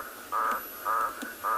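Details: Toad calling loudly at night beside water seeps on a South African game reserve, 28 January 2021: three short, harsh, tonal calls about half a second apart, with a faint steady high whine behind.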